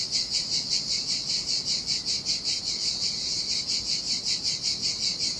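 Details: Cicada chorus in the heat beside the Sardinian sea, a bright sizzling buzz throbbing in steady rapid pulses over a soft background rumble of waves on a deserted beach.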